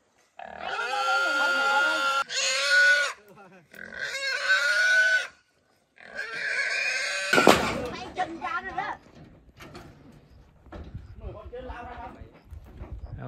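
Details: Pigs roaming loose in a forest, caught for sale to traders, give three long, high, strained squeals separated by brief pauses. Thumps, rustling and people's voices follow.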